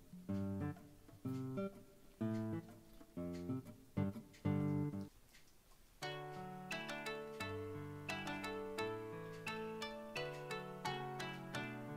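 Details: Plucked acoustic guitar music, first in short strummed bursts then a steady picked melody, with no animal voice.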